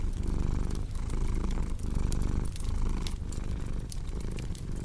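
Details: Cat purr, deep and continuous, its low rumble swelling and fading in roughly one-second breaths, with a crackling fireplace snapping and popping in the background of a small room.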